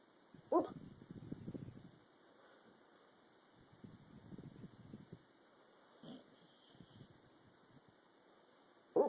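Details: Dog asleep and dreaming, snoring and making running movements; low rasping snore bursts roughly every three seconds, broken by short sharp yips or whimpers near the start, middle and end.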